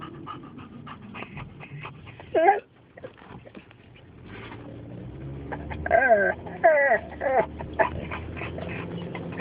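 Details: Dogs crying and whining in excitement as they near home, with high rising and falling whimpers around the middle and end, between quieter stretches and a person's voice asking what's the matter.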